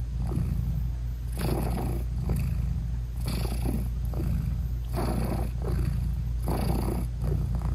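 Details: British Shorthair mother cat purring while nursing and hugging her newborn kittens with eyes still closed; a deep rumbling purr swells and fades in a slow breathing rhythm, roughly once every two seconds.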